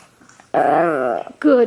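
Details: Indoors, a Chihuahua gives one sustained, wavering harmonic moan of under a second, its pitch bending down then up, followed by a person's voice praising it.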